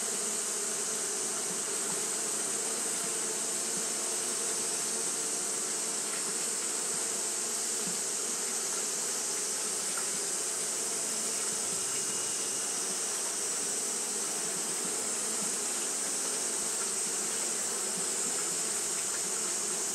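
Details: Steady communal buzzing of Japanese honey bees doing fanning behaviour through a hot day, a thick low drone and high sizzling hiss that stay level, with faint brief ticks scattered through.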